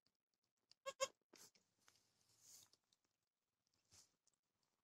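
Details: Dwarf goat birth of triplets on 26 October 2020: two short, high, harmonic bleats in quick succession near the one-second mark, followed by rustling, shuffling and scraping noises.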